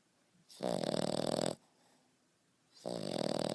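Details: Young French Bulldog Beau, 5.5 months, sleeping with a loud man-like snore: two long buzzing, rattling exhalations about a second each, a quiet breath between them.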